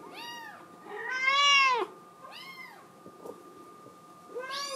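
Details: Kitten of the Scottish Fold breed begging to go outdoors, indoors; a short meow, then a loud, swelling, wavering cry, another mid-length meow and a final rising one, with a faint background hum.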